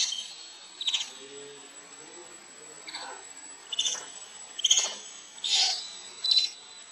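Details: Denied milk by its mother, the baby monkey Lucie lets out thin, high squealing cries, sparse at first and then bunched into several sharp shrieks near the end, against a constant faint high hum.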